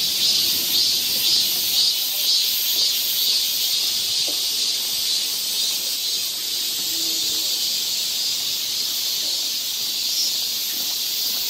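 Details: Korean summer forest near Seoul: a constant high cicada drone, with a series of quick pulsed chirps riding on top during the first few seconds, then the even buzz alone.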